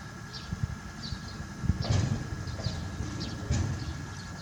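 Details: Manpuku, a one-year-old hippopotamus calf at Tobe Zoo, Japan, 20 April 2022, gives an immature 'pū' reply to its mother Mimi's call: low, pulsed grunting rumbles with a broader burst midway, small birds chirping overhead.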